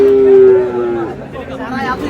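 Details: Sahiwal bull calf at a cattle market in Natore, 8/8/26: a loud, steady, tonal moo held for about a second, then sliding down and fading, with people bargaining nearby.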